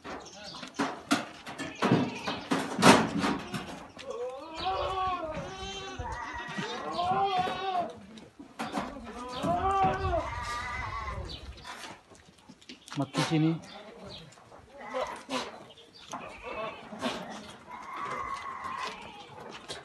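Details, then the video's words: Sirohi goats at a goat farm in Pune, giving a run of wavering, strongly harmonic bleats that overlap through the middle stretch, then a shorter call near the end, with people talking and clattering farm noise around them. "Shirohi Goats at Pune Goat Farms"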